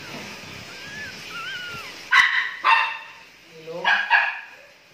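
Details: Tricolor Jack Russell Terrier puppies at nine days old: a few wavering high whines, then louder squealing yelps in two pairs, each burst sharp and brief, with a faint hum behind.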